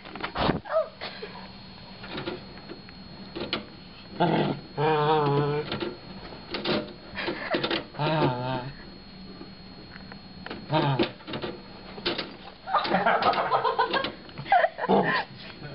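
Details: Chewie, a little Shorkie dog, indoors facing off with a DVD player, lets out several drawn-out wavering whines and grumbling growls in separate bursts, with quiet gaps and soft human talk between.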